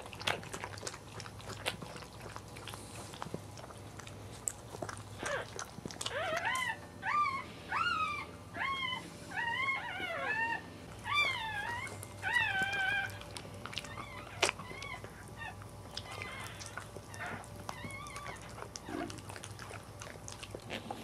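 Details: A newborn Cairn Terrier puppy, the fourth of a litter during birth, gives a run of thin, high, arching squeaks, roughly one a second.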